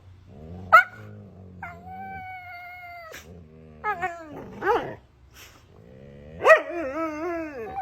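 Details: A Siberian Husky vocalising after sneezing: long wavering howl-like screams, rising and falling, broken by sharp yelps, with a harsh screaming cry near the end.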